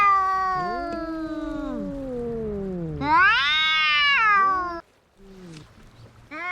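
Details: Cats fighting with a drawn-out caterwaul: two low wavering moans overlap, then a loud high yowl swells and falls, followed by a brief silence and quieter growls.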